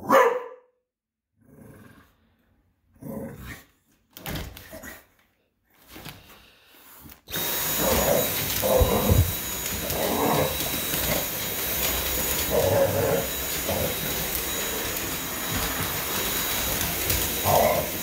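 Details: Hazie the English Bulldog barking at the vacuum: after a few seconds of quiet talking, the vacuum roars on and scattered deep, rough barks come irregularly over its loud, constant drone.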